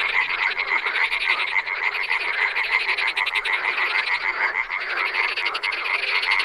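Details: Frogs calling in the wild, a thick unbroken chorus of fast, buzzy croaks overlapping one another, with a clear ringing note threaded steadily through the din.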